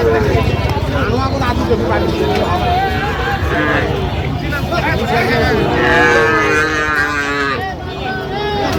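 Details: At a Manikganj cattle market in Bangladesh on 26 January, with a Sahiwal bull up for sale, several low, harmonic moos sound among constant bargaining voices, crowd babble and passing vehicle noise.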